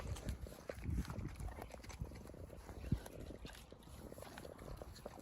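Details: Free-ranging Large White pig, left to run around, giving short low grunts at irregular intervals, one louder thump near the middle, over a steady clattering, scuffling background.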